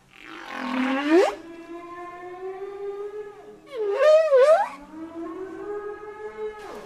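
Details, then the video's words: Communicating whale song with a long steady moan slowly rising in pitch, broken by two sharp upward-sweeping squeals with a rough, wavering texture. "Som de baleia"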